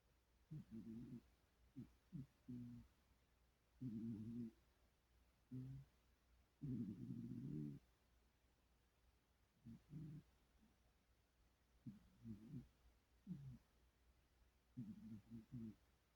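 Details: Dreaming cat asleep, snoring in low, buzzy, rumbling bursts that come at uneven intervals, often every one to two seconds, some doubled or tripled, against a quiet indoor background.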